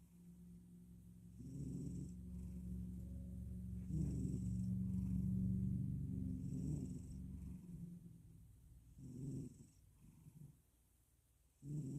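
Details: A male cat purring and snoring himself to sleep: a steady, deep rumbling purr for several seconds, then slower rasping snore breaths with hissy airy tops, trailing off into near quiet.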